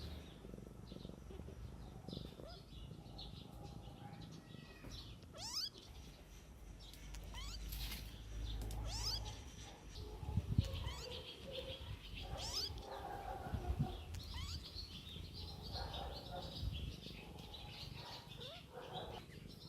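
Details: Mother cat tending her kittens outdoors in the wild. Several short rising meows and wavering cries come through a steady, muffled noisy background, with louder bursts near the middle of the stretch.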